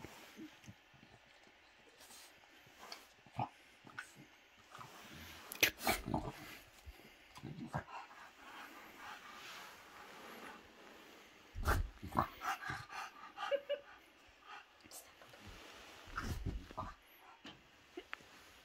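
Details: Bob the French Bulldog snorts and snuffles in scattered short bursts while playing with a toy dinosaur hand puppet. Louder clusters come midway and near the end, with faint voices in the background.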